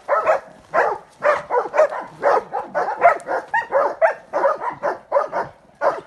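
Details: Transylvanian hound in training on wild boar, giving rapid, overlapping barks and baying, roughly two per second in irregular bursts, several voices seeming to mix into a continuous chorus.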